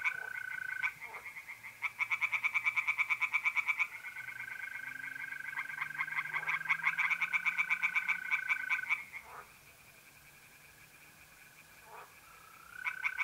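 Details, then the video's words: Tree frogs singing in a pond on an April night in north-east Italy: several runs of fast pulsed croaks broken by quiet gaps, with continuous mole cricket trills and faint low hum in the background. "relaxing singing tree frogs in pond and trilling mole crickets by night"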